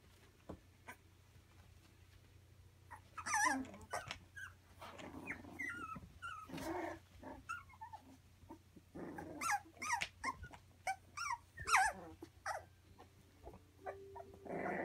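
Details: Three-week-old Labradoodle puppies indoors giving high, wavering whimpers and squeals in scattered bursts, with sharp rising-and-falling cries around the middle and several overlapping yelps near the end over a low steady hum.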